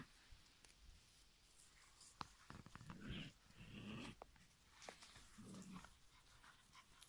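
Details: Five-week-old giant schnauzer puppies in a litter, heard at low volume indoors: soft low growls and grumbles with a few faint squeaky whines, plus scattered clicks and rustling.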